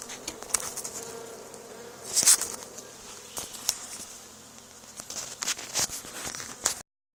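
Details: Swarm of honey bees clustered on an old barn wall where a hive was removed two days before, being taken away; a continuous humming drone carries through, overlaid by frequent clicking taps and a loud rustling burst after two seconds.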